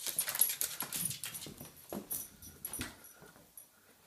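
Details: Bulldog barking while jumping around to harass an American Bulldog trying to sleep in a bedroom; a burst of short, sharp barks and scuffling in the first three seconds, fading to quiet, with faint distant voices.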